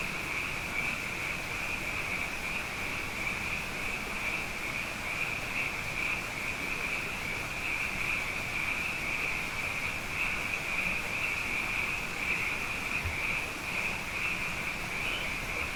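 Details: Night chorus of many frogs, plentiful after two consecutive wet years: a continuous shimmering high-pitched trill held without a break throughout, individual callers blending into one even wall of sound.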